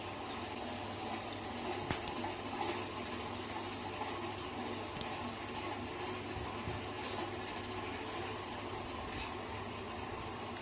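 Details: Continuous rushing noise like running water in a small room, broken by one sharp click, with no animal voice heard.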